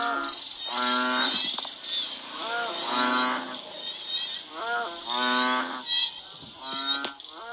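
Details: Rain-time frog chorus from Cambodia. Short, low, droning calls with a nasal, cow-like tone come in irregular groups, some rising sharply at the start, against a constant high insect hum and a brief click.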